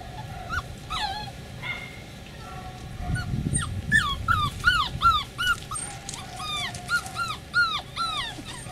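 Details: Beagle puppies from one litter, recorded 4/27/20, giving rapid high whimpers and squeaky cries, several at once, each sharply rising then falling, growing busier after the first few seconds over a low rumbling background.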